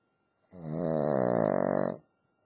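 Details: Cavalier King Charles Spaniel named Lacey snoring in her sleep around the new year: one loud, rattling, buzzy snore of about one and a half seconds, rich in low vibrating tones, then quiet.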